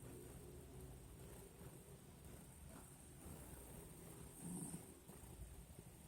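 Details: Nina, a pinscher, snoring softly while asleep: low, steady rumbling breaths that form a continuous hum under faint room noise, with one slightly louder swell near the end.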